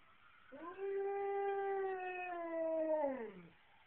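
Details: Siberian Husky howling along with local emergency sirens, a single sustained tonal howl about three seconds long, slightly sliding then falling away at the end, over a faint noisy background.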